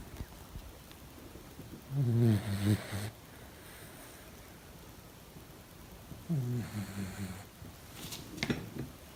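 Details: Picasso, a two-month-old male German Shepherd puppy, asleep and sleep-talking: two low, wavering, moaning vocalisations, one at about two seconds and one near six and a half, with soft snoring breaths between them and a sharp click near the end.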